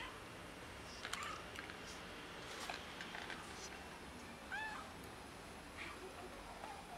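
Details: Cat from a neighborhood stray family, fed daily by locals but short of food, giving two short bending meows about three seconds apart over a faint, steady outdoor background.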